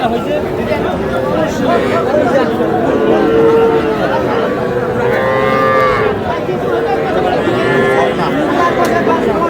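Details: Noakhali farmer's newly bought young bull and heifer calves, 21 July; a few softer moos rising and falling around three to six seconds, partly buried under continuous voices and crowd chatter.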